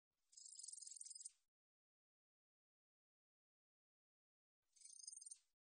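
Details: Katydid (애여치) recorded for the National Institute of Biological Resources, 2020: two dry, high buzzing trills, each about a second long and built of rapid pulses, separated by roughly three seconds of silence.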